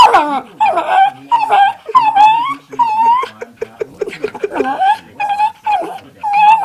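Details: Two pet dogs indoors making funny vocal sounds: a run of wavering, whining moans that rise and fall, repeated in short bursts, mixed with human talk and laughter in a small room.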